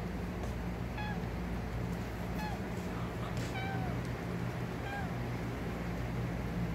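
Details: A female Tuxedo cat gives short, high meows, each falling slightly in pitch, repeated every second or so, as she begs for fishy dinner at night.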